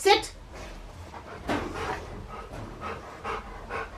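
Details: Rottweiler panting during an obedience training session that introduces the fuss command, meaning staying in position beside the handler. Soft breathy bursts come irregularly, about every half second, with a person talking over them indoors.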